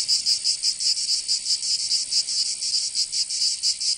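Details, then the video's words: Summer cicada chorus from Provence in the south of France, a high rasping buzz swelling and fading in quick, slightly uneven bursts, several each second, with nothing else audible. "Canto Cigarra"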